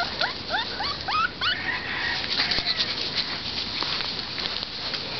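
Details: Sable Sheltie-Corgi mix puppies, filmed 24 May 2010, give a quick burst of thin, rising whines and squeaks, then quieter whimpers.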